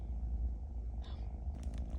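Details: Pet kitten Bambam, told off for repeatedly biting, keeps up a deep, even purr with a steady vibrating texture, while soft scratchy rustling noises appear over it.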